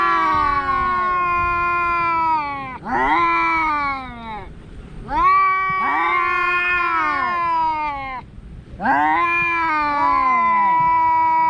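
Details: A cat meowing: four long, drawn-out, harmonic-rich yowls, each lasting two to three seconds, starting loud, wavering slightly in pitch and sliding downward at the end, with short gaps between.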